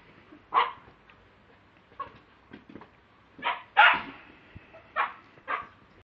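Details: Lakeland Terrier recorded on a mobile phone, giving sharp, broadband barks in irregular bursts: about six barks, the loudest pair close together mid-clip, separated by quiet pauses with faint background rustle.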